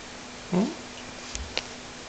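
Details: Bella, a female Pug x Lakeland Terrier puppy, makes her funny yawning noise indoors while being offered a biscuit: a single brief, rising squeaky whine lasting about a quarter second, followed by a few faint clicks in a quiet room.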